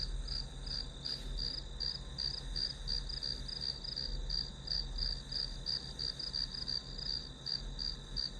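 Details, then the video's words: Repeated high-pitched insect chirps from grass, roughly three pulses per second, persist over a continuous trill and low-frequency hum. "풀벌레 소리"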